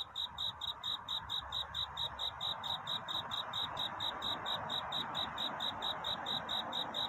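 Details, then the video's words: A cricket sings its courtship song at night, a love-seeking song. Regular high chirps at about two per second sit above a steady broadband hiss that masks the lower range. "편안한 잠을 부르는 귀뚜라미 울음소리. 슬퍼 말아요 우는 것이 아니라 사랑을 찾는 노래랍니다"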